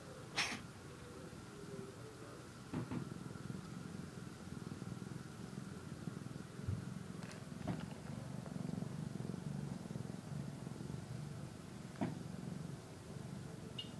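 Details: Kitten eating and sleeping, purring in a soft low drone that rises and falls with its breathing, interrupted by several sharp clicks and taps, one high brief squeak at the end.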